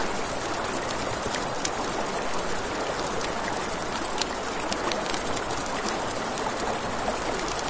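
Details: Crickets at night beside a river: a steady high, rapidly pulsing chirr runs without a break, over the broad rush of flowing water and frequent sharp snaps of a crackling campfire.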